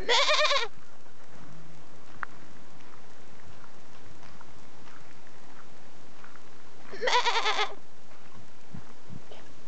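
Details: Calling from a goat: a short, quavering bleat at the start, then about six seconds of near silence before a second tremulous bleat of similar length.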